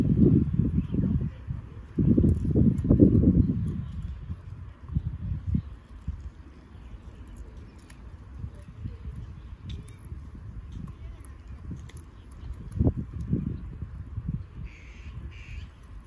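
A Golden Retriever gnaws a branch, with dull, irregular crunching bursts that are loudest early on.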